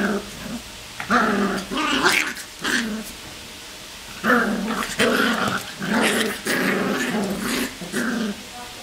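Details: Three black Cocker Spaniel puppies at play trade repeated harmonic growls and yips, bursts of roughly half a second coming about every second over low room hiss.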